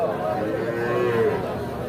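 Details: Small calves at the Ambari cattle market on 28 March 2025, being handled and bargained over for sale; a drawn-out, slightly falling moo with layered tones over a busy background of market voices.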